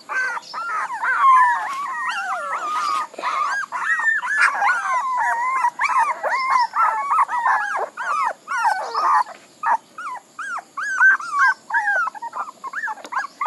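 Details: Several puppies whine and howl at once, long quavering cries at first, then separate short yelps spaced out near the end.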